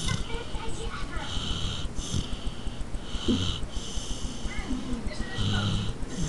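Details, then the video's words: Little dog Carmela asleep and snoring, a hoarse airy rasp on each breath, drawn out and irregularly spaced, with soft low-pitched rumbles and faint background voices. "Carmela Snoring (My little dog)"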